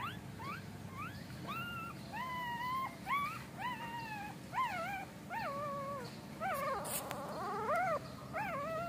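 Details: Golden retriever puppies whimpering while their mother Emi carefully carries them to a new place; high, harmonic whines rise then fall or waver, coming in quick bursts about once a second, with a faint background hum.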